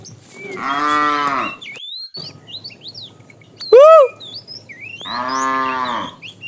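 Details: Two long harmonic moos about four seconds apart from a fat cow calling the female, in a tame herd being driven in the afternoon. A loud rising-falling whistle sounds between them, and birds chirp steadily.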